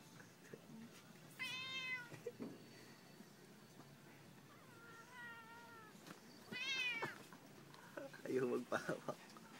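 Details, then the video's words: Annoyed domestic cat indoors on a fine afternoon, giving three drawn-out, wavering meows spaced a few seconds apart, with soft background noise and brief rustling near the end. "Annoyed Ambo"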